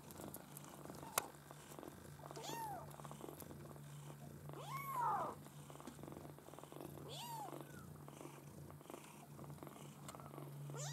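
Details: Litter of Maine Coon kittens at a breeder, several thin arched mews spaced a few seconds apart, one louder and longer, with faint rustling and a constant low hum.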